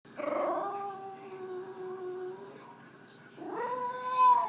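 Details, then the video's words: A frustrated English Bulldog, jealous of its owner's dinner and pouting on the couch, gives two drawn-out, tonal moans, the first sagging in pitch, the second rising. "Frustrated English Bulldog Makes Funny Noises"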